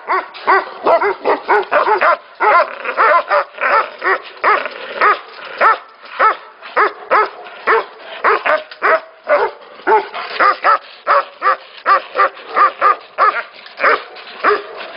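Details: A chorus of Tibetan Mastiffs at a Tibetan mastiff factory, several dogs barking at once, the harmonic barks tumbling roughly twice per second in irregular bursts, overlapping continuously.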